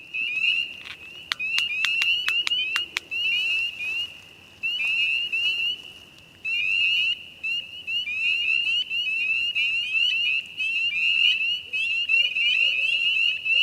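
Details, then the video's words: A dense spring chorus of spring peepers on the first warm days in Appalachia: countless high, piercing peeps overlapping into a near-continuous ringing shrill, with barred owls, which were feasting on the frogs, calling faintly and canines yipping in the background. "there's going to be a chorus of spring peepers, and also in the background you can hear the call of barred owls and then the yips of some canines."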